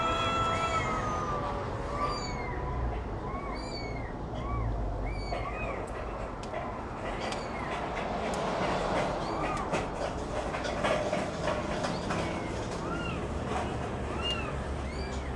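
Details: Cat with kitten at feeding time, many short, high, arched mews repeated rapidly, several per second at times, over a steady low rumbling background.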